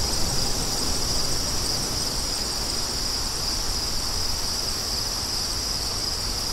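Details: Crickets heard with wind: a steady, high, shimmering trill of fast pulsed chirps running throughout, over a constant low roar of wind.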